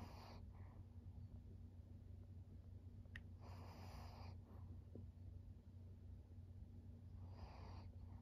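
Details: Senior fawn pug Maria, a 13-year-old female, recorded in Japan in September 2023, gives three short, rasping nasal snorts spread across the stretch, with a quiet tick between them and a constant low hum behind.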